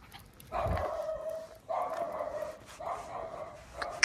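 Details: On a night walk, a Jack Russell Terrier chasing a cat gives three drawn-out, tonal, yelping barks in quick succession over a steady background hiss.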